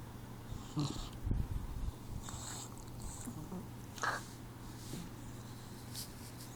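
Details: A sleeping Boxer puppy, four months old, snores in low rasping breaths, with a louder snort-like burst early on, then quieter wheezy exhalations over a constant low hum.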